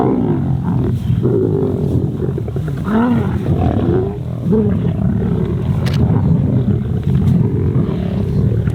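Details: Wild lions, youngsters of the Kambula Pride, squabble over an impala carcass while larger females rest nearby; deep rasping growls with rising and falling snarls, steady and loud, music faintly underneath.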